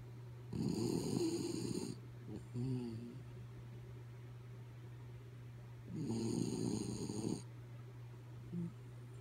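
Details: Kaya Boo, a sleeping dog, snores in two long rasping, rumbling breaths about five seconds apart, with a short whistling nasal exhale between them over a steady low electrical hum.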